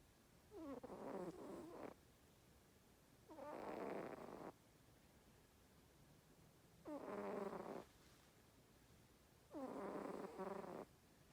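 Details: Napping domestic cat, deeply asleep and hard to wake, snoring: four long rasping, harmonic breaths each about a second long, repeating roughly every three seconds against a quiet room.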